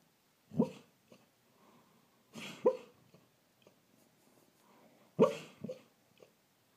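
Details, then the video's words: Truly, a rescue greyhound, woofs while dreaming in her sleep indoors: three muffled, breathy woofs at intervals of about two seconds, each followed by a softer huff, in a quiet room. "Greyhound Dreaming and Woofing in Sleep"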